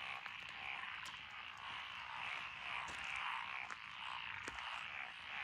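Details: Frogs calling in lotus rice paddies beside a country road in Echizen, Fukui Prefecture, Japan, on 12 June 2021. A dense, steady chorus of rapid croaking trills fills the night, with a few sharper clicks standing out.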